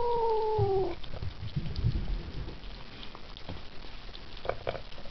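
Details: A Ragdoll kitten that doesn't like to share its food gives a short, slightly falling mewing whine while eating, then keeps up soft, low chewing and grumbling sounds.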